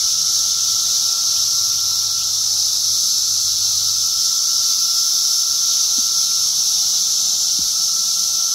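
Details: Magicicada septendecim during egg-laying: an unbroken shrill cicada chorus hisses throughout over a steady mid-pitched whine, with two brief clicks near the end.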